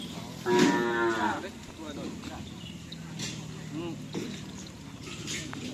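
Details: Bull racing practice cattle, Madura-style karapan sapi, at the Asemanis field in Pamekasan: one loud, slightly wavering moo early on, then quieter scattered calls among people's voices and a noisy outdoor background.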